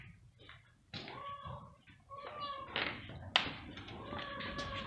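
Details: Stray cat waiting for food gives several short harmonic meows among tapping and clatter, the loudest near the end sustained and slightly wavering.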